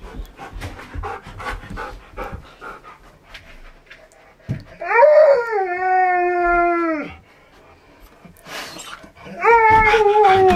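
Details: K'eyush, a Siberian Husky, copies a washing machine. After soft background talk, he gives a long sustained, steady-pitched tonal howl lasting about two seconds that drops at the end. A second rising, wavering howl begins near the close.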